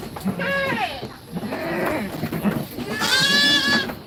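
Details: Goat kids in a goat pen while being fed and played with, calling in three loud nasal bleats, the last one strained and wavering, with a person speaking Indonesian in the background.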